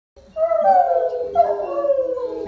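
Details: Otterhounds singing together; overlapping long, wavering howls that rise then slowly fall, with several voices layered at once.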